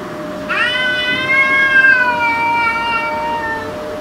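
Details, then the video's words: Cat fighting off an intruder, one sustained loud yowl that rises sharply then holds and slowly falls over about three seconds, a steady faint tone behind. "Cats Meowing Loudly (Compilation)"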